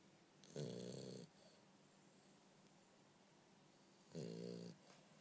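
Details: Bumble B, a French Bulldog, snores while sleeping: two loud vibrating rattly inhalations roughly three and a half seconds apart, each lasting over half a second with airy hiss on top.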